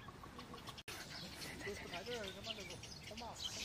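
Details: Wild baby macaque crying loudly after being bullied by its mother, a run of wavering, whiny cries that slide up and down in pitch, with a sharp brief break early on and steady background noise.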